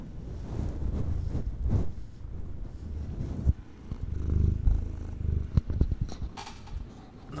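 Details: A female kitten, about 8 or 9 lb, purrs with a low, steady rumble, recorded close up while sitting on her owner's lap.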